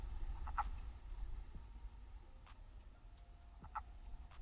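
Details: A male wood frog, recorded by a knocked-over trail camera at a vernal pool or pond in spring breeding season, gives short, hoarse clucking notes a few seconds apart over a low rumbling background.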